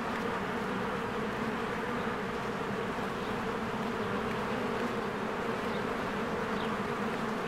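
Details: Busy honeybee colony at the hive entrance in spring, bees flying in and out; a thick, constant humming drone with a slight rough flutter, and a faint chirp near the end.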